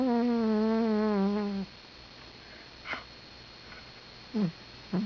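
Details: Patty, a pet cat, snoring while asleep indoors: one long droning, harmonic-rich breath that wavers and slowly falls in pitch for about a second and a half, then quiet room with a few faint soft clicks.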